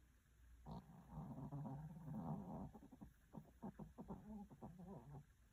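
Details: Pet dog snoring indoors: soft, low, rumbling breaths with a fluttering rattle, broken into rapid irregular pulses, quiet throughout.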